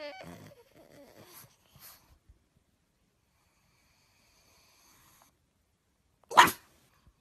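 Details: Pug dog giving one sharp, explosive sneeze after a quiet pause, preceded by brief human voices and a few soft noises.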